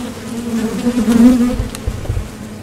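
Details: Close, loud buzzing of honeybees landing at and leaving a Top Bar Hive entrance during nectar foraging, the drone swelling in the middle, followed by some low thumps.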